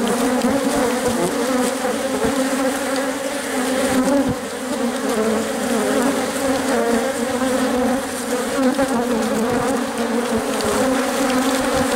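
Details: Worker honey bees surround their queen while she lays eggs in the hive, producing a loud, steady, dense buzz with layered tones, dipping briefly around four seconds before resuming.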